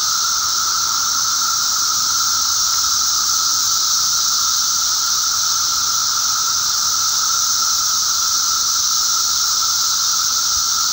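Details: A May 19, 2011 mass emergence of periodical cicadas in eastern North America fills the air with an unbroken, shrill, hissing chorus and an underlying steady lower tone.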